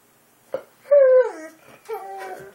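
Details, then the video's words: JJ, a Boxer dog, vocalizing in a small room while its owner chats to it: a brief knock, then a short sliding whine-moan, a pause, and a second softer, wavering moan. "Boxer Dog JJ Talking"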